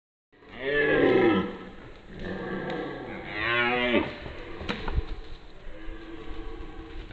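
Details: Red deer stag during the 2022 rut, roaring while driving off younger rival males: a long, loud, harmonic bellow lasting about a second, then a second drawn-out roar with a rising-and-falling tone, followed by quieter grunting sounds.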